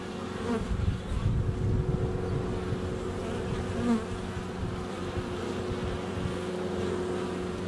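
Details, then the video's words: Hive entrance alive with honey bees on a sunny February day, recorded close up with a GoPro; deep droning hum rising and falling as individual bees pass nearby, a faint bird note in the distance. "Honey Bees - ambient video and audio"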